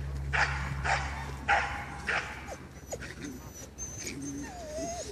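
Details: Male dogs at a dog show at Førde Camping, 28 April 2011: short, sharp, harmonic yips and barks about every half second, then thin whimpering whines over a steady low hum and background chatter.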